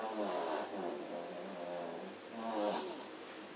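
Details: German Shorthaired Pointer puppies asleep indoors after half an hour of play, filmed 27 September 2016: soft, rhythmic snoring breaths, each a low rasping drone rising and fading over about two seconds, with room hiss.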